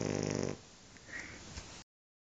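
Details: Sleeping Shar Pei dog giving one harsh snore lasting half a second, followed by soft breathing and faint small noises.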